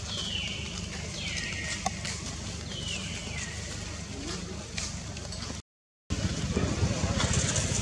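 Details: Young wild monkey Jody at Angkor Wat, Cambodia, scared and calling again and again for its mother Jane after being kidnapped for the first time. Three high, descending wailing calls in the first three seconds over steady low rumbling background noise.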